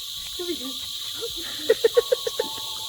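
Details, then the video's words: A very loud cicada chorus among the trees on the island of Siquijor, near the entrance to a path leading to a beach: a constant, high, ringing drone, overlaid by voices and a run of six evenly spaced low knocking notes. "Puro puno at sobrang lakas pa ng tunog ng kuliglig."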